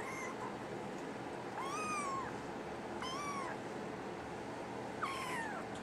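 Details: Brown tabby and white male kitten, NANA03, who is soon moving to a new home in Tokyo, gives three drawn-out, clear meows, each rising then falling, spaced about one and a half seconds apart over a steady indoor hum.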